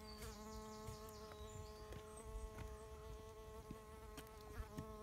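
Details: Buzzing bee fly, Bombylius major, probing sand: a constant low drone rich in overtones runs unbroken, with light ticks and faint high whistles early on.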